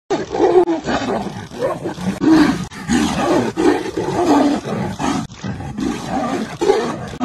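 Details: Wild Royal Bengal tiger cubs play-fighting in Ranthambore National Park, Rajasthan, India, giving rough growling roars in short bursts, several per second, between brief pauses.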